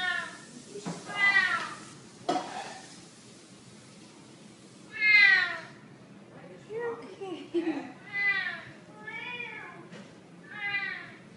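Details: Domestic cat meowing irregularly. Several short, bright, wavering meows are spread through the recording with quiet gaps, and murmuring sounds lie between them.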